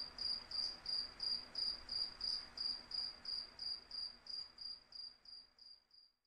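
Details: Steady cricket chirps with wind, high thin pulses repeating roughly three times a second at a regular pace, gradually fading out toward the end.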